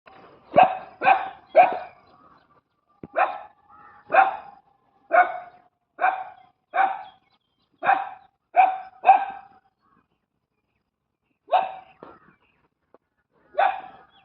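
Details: Street dog barking in loud, sharp bursts, a rapid triple volley then single barks about once a second, a pause, and two more spaced barks; no other sounds.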